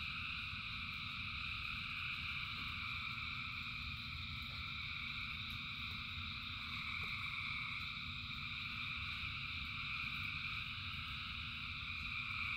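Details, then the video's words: Thousands of frogs sing in the rain as a dense, unbroken chorus of steady high trilling bands, layered over a constant low rumble of rainfall with occasional faint drips. "Frogs in Rain 2 Hours of Frogs, Thousands of Frogs Singing"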